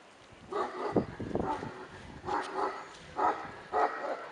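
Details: Millennium, a male Tibetan Mastiff puppy, gives a run of short, yapping barks in irregular bursts, about six over four seconds, each bright and clipped with a brief pause between groups.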